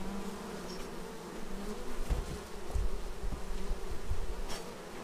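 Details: Bees arriving at a beehive, recorded raw on a Xiaomi Yi action camera: a steady low droning hum with a faint higher band, swelling and fading as insects fly past, plus soft knocks and bumps.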